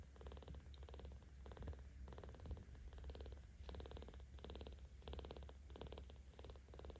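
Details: Purring from Ao, a 17-day-old baby cat with volunteers in Tama City, Tokyo, recorded 10 October 2022 while being stroked: rhythmic rumbling phrases about every half second, alternating in-breath and out-breath pulses, indoors and close.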